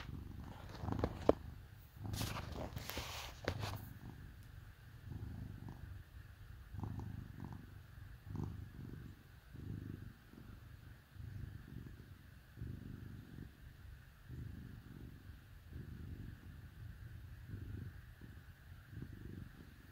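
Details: Two kitties hanging out, snuggled up with dogs on a cold winter day, purr in a low rhythmic rumble; brief rustling and clicks early, then steady pulsed purring throughout.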